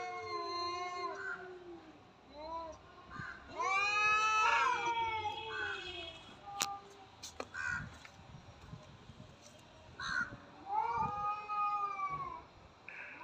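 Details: Cats fighting: short harmonic yowls, a loud rising-and-falling howl around four seconds, then sharp clicks and scattered knocks before a final arched yowl.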